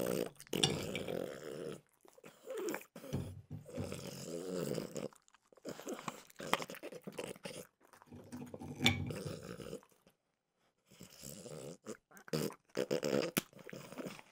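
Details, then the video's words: Mimosa the French bulldog eating peanut butter flavored dog treats indoors, mostly softer wet chewing and smacking with occasional crisp cracks, stretches of mouth noise broken by a clear silent pause before final bites. "Frenchie ASMR - Trader Joe's Dog Treats Peanut Butter Flavored"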